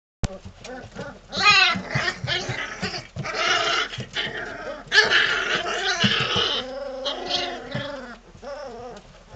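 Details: Three-week-old Belgian Malinois puppies from one litter playing together, a growly bunch; a dense mix of overlapping high whines, yelps and rough growly yips from several pups, near and loud throughout.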